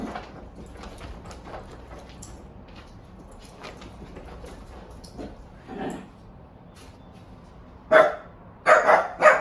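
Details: Red wire-haired dachshund making funny noises: soft scattered snuffles and grunts, then near the end a cluster of three sharp, loud barks or yips in quick succession.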